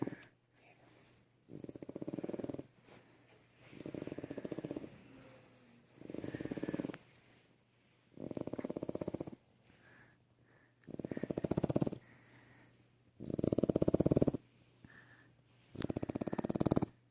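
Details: A sleeping French bulldog puppy snores loudly, each rasping breath lasting about a second with quiet pauses between.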